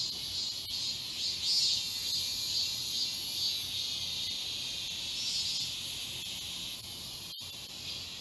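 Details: Midsummer cicada song from the forest path of Galsan Park, Yangcheon-gu, Seoul: an unbroken, very high sizzling drone, only faintly pulsed, holding an even loudness from start to finish.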